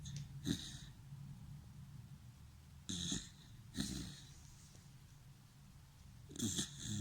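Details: Sleeping Dachshund snoring, loud rasping snorts at irregular intervals of about one to three seconds, each a short broadband burst over a steady low hum, with quiet breathing between.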